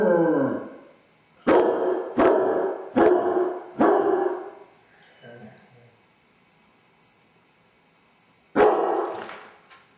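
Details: Dodger the basset hound, pacing the house alone with separation anxiety; a fading howl tail, then four deep rapid barks in a burst, a quiet pause with faint whining, and one more loud bark near the end.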